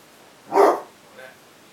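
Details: One loud, full bark from a basset hound confronting cats, lasting about a quarter second, then a faint short follow-up sound.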